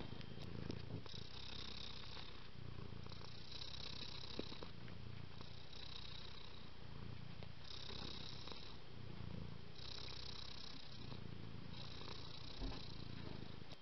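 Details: Cat purr: a throaty, even rumble with regular inhale and exhale phases about every two seconds, breathy hiss marking each breath, otherwise quiet.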